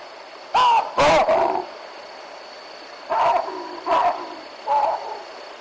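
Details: Wild baboons of a troop at the Olifants river barking in alarm at a young male leopard: five loud, harsh two-syllable barks, two close together then three spaced about a second apart, with faint background hiss.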